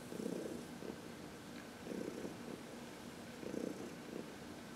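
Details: Senior cat Heidi, aged 14, contentedly purring during a massage in the sun, March 19, 2021; three soft rumbling swells come in even breath-paced bursts over a quiet indoor background.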